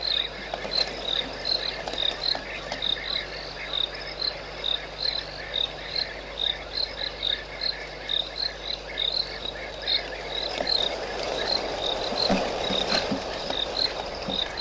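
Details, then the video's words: African foam nest tree frog calling at 5:45 am on 21 January 2013 at Idube lodge, Sabi Sand Game Reserve: short high chirps repeated roughly once a second over a dense, steady night chorus of insects and frogs. "African Foam Nest Tree Frog"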